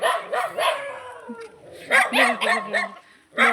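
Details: Barking dog met on a morning walk in India, among a mother and puppies the walker fed rice as youngsters. Rapid, uneven run of sharp barks, roughly four per second, with a person calling to them.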